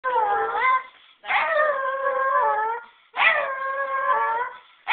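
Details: Dog howling together with a person: three long, wavering, tonal howls of one to two seconds each, slightly falling at the ends, with short silent gaps between.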